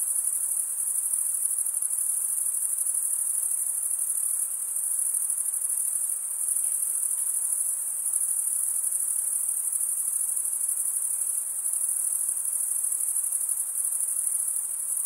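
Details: Continuous cricket chirping: a dense, piercing high whine with a fast, even pulse throughout and faint hiss beneath. No other animals or voices.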